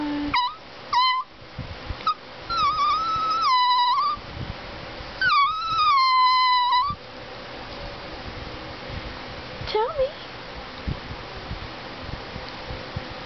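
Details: Talking greyhuahua, a male Greyhound–Chihuahua cross, produces a run of short yelping whines rising into two longer steady moaning howls in the first seven seconds, then mostly quiet room noise with one brief high whine.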